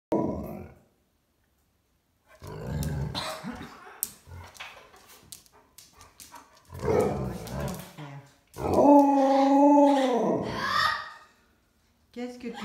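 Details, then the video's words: Alaskan Malamute making funny barking sounds, here a long, drawn-out, harmonic woo-like howl after earlier rough grumbles, with a person speaking French nearby. "Aboiements rigolos du Malamute alaskan"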